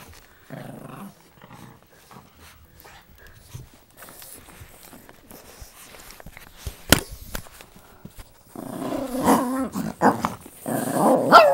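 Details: Two Boston Terrier brothers fight over a toy under a table. Low, rough growls come first. After a quiet stretch with thumps and a sharp knock, the growling turns to louder, grating snarls over the last three seconds.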